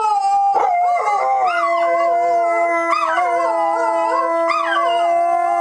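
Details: Dogs howling on opening day at Dodger Valley: several long, steady, overlapping tones held together, with wavering rises and dips at about one, three and four and a half seconds, forming a sustained group chorus.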